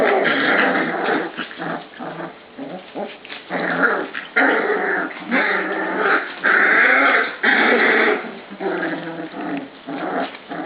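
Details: Pups at dinnertime growling over their food bowl, one lying across the dog food; continuous rough growls with yips and whimpers, bursts overlapping irregularly.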